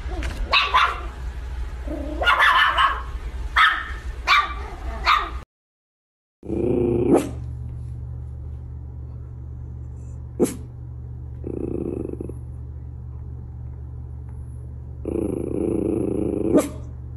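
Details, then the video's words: Miniature Schnauzer giving several loud barks, then a brief silence, after which a steady low hum runs under occasional clicks and a few faint muffled sounds. "Miniature Schnauzer - The Most Exciting Sounds That Make Dogs React"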